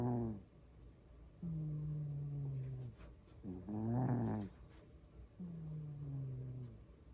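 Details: Sleeping domestic cat snoring loudly indoors: low, droning, harmonic snores about a second long, some wavering up and down in pitch, three breaths spaced roughly two seconds apart in a quiet room.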